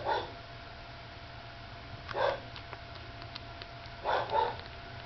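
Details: Mother dog with a nursing pup, giving three short barks spaced about two seconds apart, the last one with a brief higher tonal edge, over a constant low background hum.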